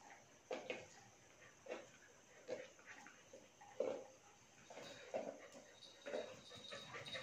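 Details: German Shepherd puppy playing with its Border Collie sister; short growly, grumbling bursts repeated irregularly about once a second, fairly faint and close, with light background noise.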